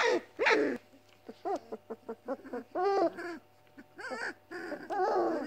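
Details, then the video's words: Weimaraner puppies indoors, a litter of seven, moaning because they are hungry and the mother will not feed them. Short clustered whimpers rise and fall in pitch over a steady low hum, with a few longer wavering moans. "Weimaraner puppies moaning,growling and barking."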